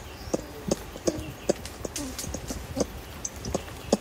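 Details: Close-up clucking contact calls from adult ring-tailed lemurs feeding in trees, Berenty Reserve: a run of brief, low, knocking clucks roughly every third of a second, with softer chirps and rustling between them.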